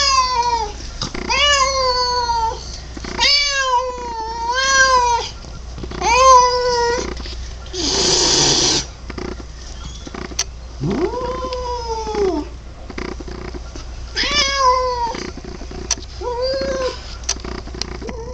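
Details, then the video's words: Pet male cat producing a long series of weird, wavering meows, some rising and falling in pitch, others short and chirpy, roughly every one to two seconds, with a brief burst of broadband noise midway through. "Cat makes weird noise?"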